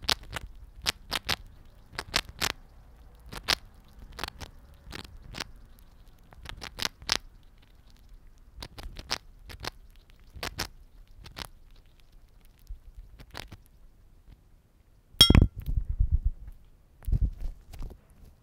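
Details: Momo, a pet Siberian chipmunk, nibbling an egg biscuit meant for small animals: crisp scattered clicks and crunches spaced irregularly through near silence, then a denser burst of loud crunching toward the end.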